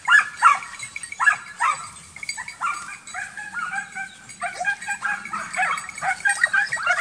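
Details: Young Transylvanian Hounds in intensive midsummer wild boar hunting training, a pack giving dense, overlapping high barks and yelps in rapid irregular bursts, several dogs calling at once with no pause.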